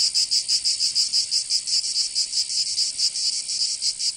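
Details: Summertime cicadas in Provence, France, give an intense, high, sizzling buzz. It swells and fades in a quick series of distinct throbbing pulses that sound slightly irregular, and it continues throughout.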